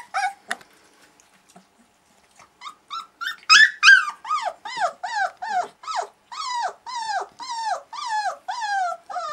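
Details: A litter of young pups born August 2013 in their first play and noise session: after a few quiet seconds, a steady series of high, bent, whining yelps repeats about three times a second, loud and insistent, with no other sounds.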